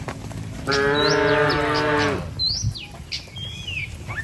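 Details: Tame village cattle, herded in a line across a wooden bridge toward pasture, give one long, steady moo with rich harmonics lasting over a second; small birds chirp and whistle in the background.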